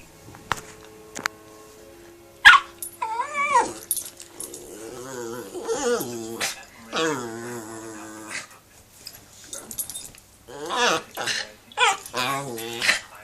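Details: One-year-old rescued Shih Tzu–Yorkshire Terrier cross dog play-fighting, giving a string of harmonic whining growls that rise and fall, in short bursts with brief pauses, several sharp higher yelps near the end, occasional clicks.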